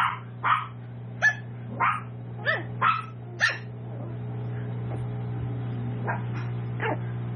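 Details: Tiny toy poodle puppies at seven weeks, Raven's litter, raised in a home breeder's house; seven sharp, high yips roughly every half second in the first 3.5 seconds, then fainter distant yelps, all over a constant low hum.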